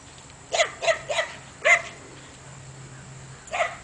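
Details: A Belgian Malinois barks toward donkeys beyond a fence, giving three rapid sharp barks, a fourth after a short gap, and one more bark after a longer silence; a steady low hum underneath.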